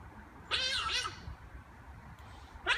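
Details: A playing giant otter greeting visitors gives a long, loud, wavering harmonic squeal lasting about half a second, followed by a quieter gap and the start of another shrill call.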